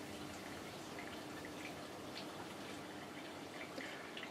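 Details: Quiet indoor room tone with soft dripping or tapping sounds and faint hiss, no animal voice.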